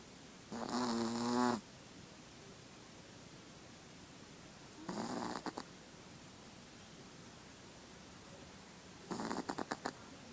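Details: Female Chihuahua snoring while asleep and very tired: three breathy snores about four seconds apart, the first longest with a buzzy, tonal edge, the later two shorter and fluttering, in a quiet indoor setting.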